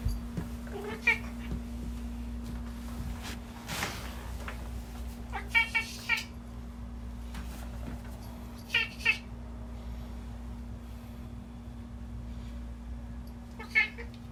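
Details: Pet cat that cannot meow properly, making odd voice sounds while it always comes to greet its owner at the door; several short harmonic calls near 1 second, 5.5–6 seconds, 9 seconds and 14 seconds over a steady electrical hum and household noise.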